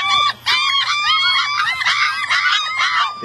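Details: Black long-haired German Shepherd pups wanting to be picked up cry together in a dense chorus of overlapping high squealing whines, nearly continuous, briefly broken by a short gap near the start.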